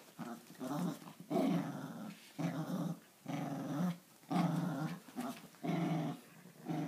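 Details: Italian Greyhound and Papillon playing tug of war every morning: rough, throaty play growls in bursts of about a second, rising and falling, repeated with brief breaths between, indoors.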